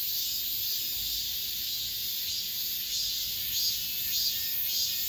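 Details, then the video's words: Late-summer cicada chorus inside an apartment complex, the season's last: a continuous shrill buzz with gentle swells in intensity, roughly a hundred soft pulses a minute, over a quiet low background. "올 여름 마지막 매미소리"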